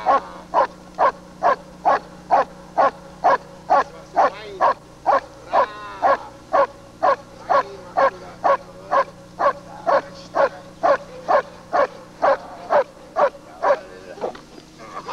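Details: German Shepherd Lord v. Gleisdreieck (DDR), footage copied from a television screen, 1995: a long, very steady run of barks, about two each second, each short and forceful, with a low hum underneath.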